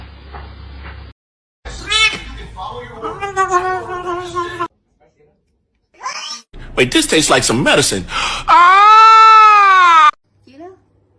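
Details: Domestic cat in a funny cat compilation giving loud, drawn-out, harmonically rich meows. The final one is long and arched, rising then falling, with human speech heard between the calls.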